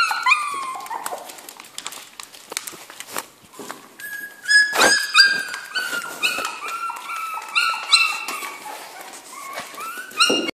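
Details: Jack Russell Terrier puppies kept in a kennel, a chorus of shrill whimpers and yelps, steady rising-falling whines layered over one another, occasional sharp taps and knocks in a small room.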